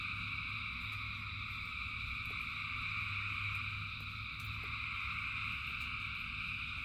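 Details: Thousands of frogs singing in rain form a dense, unbroken chorus of steady high trilling layers, over a low rumbling wash of rainfall with a few scattered sharp drip ticks.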